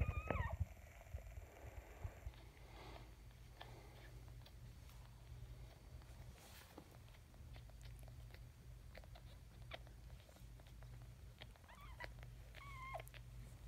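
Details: Maltese terrier indoors giving birth to her first puppy; thin, squeaky rising whines open the clip and return briefly near ten and twelve seconds, between soft wet licking, chewing and rustling noises.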